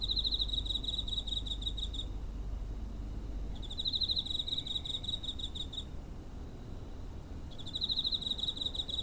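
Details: Cricket recorded near home on 7 September 2023 with a TASCAM DR-05: bursts of rapid pulsed trilling, each about two seconds long with short pauses between, over a low rumble of background noise.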